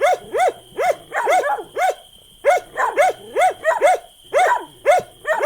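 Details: Dog barking in uneven clusters of sharp, arched barks, a short pause near the middle before another rapid series, some barks overlapping; steady high hum in the background.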